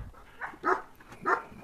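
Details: Central Asian Shepherd dogs where a three-month-old female puppy is shown: two sharp barks about half a second apart, each a short burst with bright upper tones, over quiet room noise.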